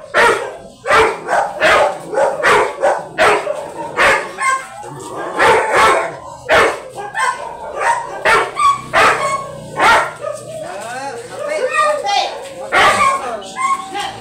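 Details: Yellow Labrador Retriever, described as very big, at a stud service in Manaoag, Pangasinan, Philippines, barking in a long series of sharp, loud barks, some close together, with brief quieter whining, tonal sounds between bursts.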